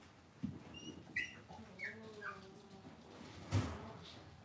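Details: Young Cavalier King Charles Spaniels in an indoor home puppy pen let out a run of short, squeaky whimpers, some sliding downward, followed by a longer low whine, with a couple of soft thumps in the quiet room.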